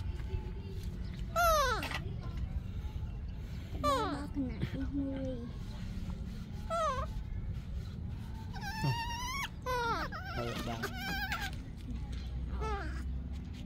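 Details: Yaya's baby monkey, still upset and screaming for Yoyo's milk: repeated high, harmonic screams that sweep sharply downward, in bursts a few seconds apart, with Vietnamese voices talking in the background.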